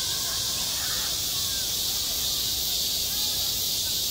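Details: Cicadas droning on a school playground in midsummer: a dense, high, continuous buzz dominates, while faint wavering mid-pitched tones, possibly distant voices, flicker softly underneath.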